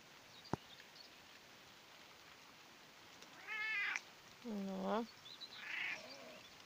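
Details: Pet cat lying in a hammock outdoors in the rain, giving two clear harmonic meows about a second long, the second lower and drawn out, then a softer third call, with steady rain and a sharp tap in the background.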